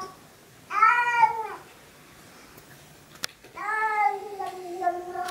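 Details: Two Siamese cats howl and 'sing' after a raw meal, two drawn-out, wavering meows separated by a short pause.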